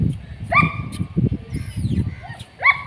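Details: Long-coated black and tan German Shepherd puppies, male and female, in Delhi; two short high-pitched yelps, each with a sharp rising start, separated by about two seconds, over low murmuring human voices.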